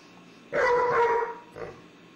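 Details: Molly, a little puppy living with a cranky but tolerant old dog in a home, giving one steady, slightly drawn-out bark lasting under a second, followed by a softer short yap. The room is otherwise quiet.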